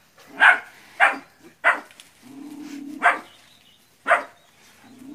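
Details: Puppies practising against a large water buffalo in West Sumatra, Indonesia, give single sharp barks about once a second, with a low steady hum between them.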